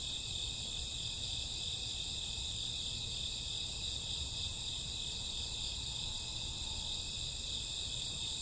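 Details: Crickets and grassworms chirping on a summer or autumn night at midnight: a dense, unbroken high shimmering chorus in several stacked bands, steady throughout with no pauses, over a low rumbling background hiss.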